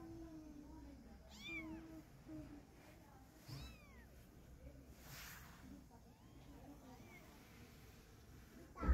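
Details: While a mother cat carries a kitten in her mouth to relocate it, a few sparse, fairly faint arched meows sound every couple of seconds beneath a heavy low hum, ending with a sharp knock.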